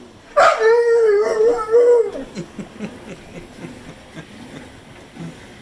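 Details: Pit bull named Zeusy, a pet dog, 'talking' at home: a sustained wavering howl of about 1.6 seconds with a rich stack of harmonics, pitch wobbling up and down, then quiet murmurs, faint room noise, no speech over it.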